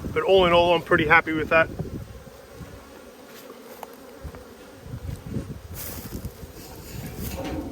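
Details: Honey bees from a strong Australian colony during a food dearth, heard while the Black and White hives are opened for inspection on 5 February 2022. Brief speech opens, then a steady low, droning hum fills the rest, with faint rustling.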